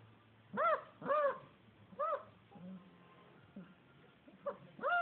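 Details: Basset Hound puppies from litter C of the Seligenporten kennel, indoors, giving high arched whimpers and yelps with clear harmonics, about six cries in five seconds, some in quick pairs, over a low room hum.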